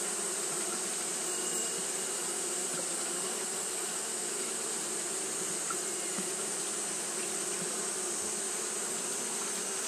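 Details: Japanese honey bees fan continuously in hot weather, giving a smooth low buzzing hum. A steady sharp high tone lies over it, and a few soft clicks are scattered through.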